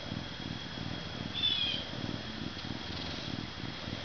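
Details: A captive-born male Canada lynx, about 40 pounds, purrs in a low, steady, rumbling rhythm, with a faint high whine behind it.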